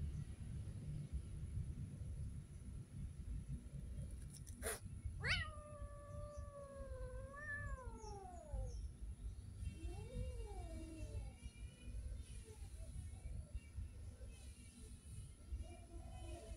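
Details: Street cat meowing outdoors: a long drawn-out meow with rich harmonics, rising then sagging and falling away after a sharp click, followed by a shorter, softer meow and faint fainter mews, over a steady low rumble of background noise.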